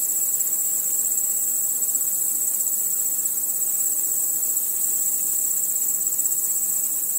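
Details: Nocturnal crickets chirping together with other night insects, a continuous piercing high buzz-trill with a faint rapid flutter in its texture, even in loudness from start to end.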